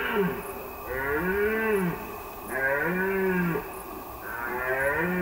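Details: A red deer stag gives deep, drawn-out roars in repeated bouts during the September rut on a hunting ground in northern Hungary, with music playing behind.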